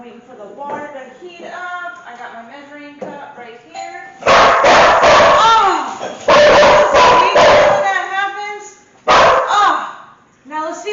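Domestic dogs bark in loud bursts, setting off at the sound of a knock or doorbell.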